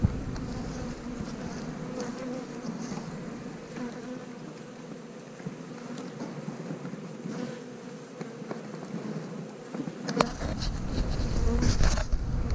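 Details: Dense, even buzzing of many honey bees as a beekeeper makes a split from a five-frame box, the hum swelling louder near the end with a few knocks of equipment.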